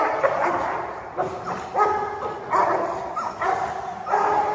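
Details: Tibetan Mastiff puppies Gabbar and Bella fighting, with Gabbar attacking and biting: short, harsh yipping barks and yelps come in quick irregular bursts, about seven in under five seconds, with some whimpering between them.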